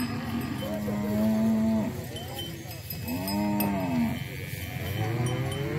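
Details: Mixed herd of Bali, Limousin and Brahman cattle gathered in a field, lowing: three clear moos roughly every one and a half seconds, each a rich level drone bending down at the close, above a constant low rumble.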